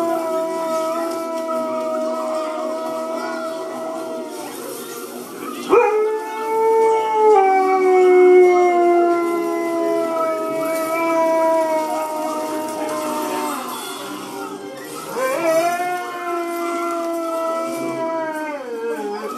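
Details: Pet dog howling every time one particular movie scene plays, responding to the film: long, sustained, wavering howls that slide in pitch, with a sudden sharp rise near the middle and another around fifteen seconds, over faint movie sound.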